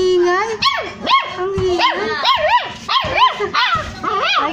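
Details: Hungry street puppies named Crazy, Browny and Kabang cry for their mother: loud, high whining squeals that rise and fall in quick arcs, several overlapping back to back, with a low steadier whine underneath.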